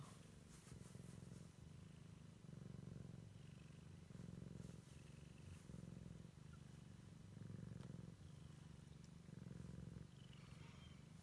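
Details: Siamese kitten purring as it explores the world for the first time; a steady low rumble swells and eases in a regular rhythm, roughly one breath cycle per second, with faint high ticks and rustles in the background.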